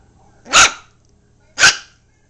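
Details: Seven-week-old Yorkipoo puppy giving two short, sharp, high barks about one second apart in an otherwise quiet room.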